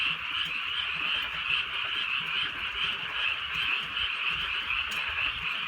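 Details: Night chorus of frogs in the countryside while a gentle rain falls, forming a bright, constant wall of fast trilling croaks with slight swells in loudness and soft rain beneath.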